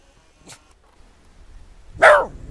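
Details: West Highland White Terrier named Nix, out in the snow, gives one loud, sharp bark near the end after a quiet stretch. A faint brief sound comes earlier; there is a low background rumble.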